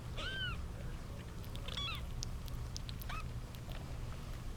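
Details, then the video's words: Kittens from a litter of eight, seven female and one male, fighting over their eight-month-old mother cat; three high, arched mews with bright harmonics at roughly one-and-a-half-second intervals over a steady low hum. "Kittens fighting over mom"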